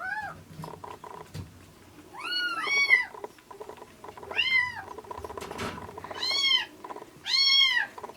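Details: Bottle-fed rescue kittens, a ginger tabby and a black-and-white, in the late milk stage before weaning: several loud, arching mews in short bursts separated by pauses, against a constant mechanical hum.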